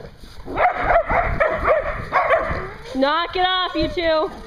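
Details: At a Hooksett, New Hampshire dog daycare, a dog gives a run of rough barks, followed by high, wavering whine-like yelps with clear rising and falling tones.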